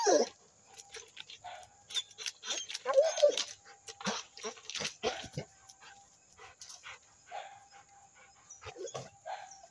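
A Rottweiler gives short, gruff barks and whimpery sounds in uneven bursts.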